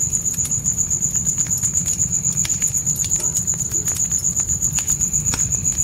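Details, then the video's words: Steady high-pitched pulsing of crickets at night, around four chirps a second, over loud crackling and popping from a campfire and a low rumbling fire sound in a dark forest. "Fire & Crickets Night Ambience"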